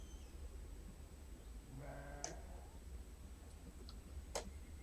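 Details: On 27 January 2021, on grey, drizzly day at the Urdaibai marsh, Spain, a sheep grazing near the bird center gives one low, very hoarse half-second bleat over steady wind rumble, with a few sharp clicks.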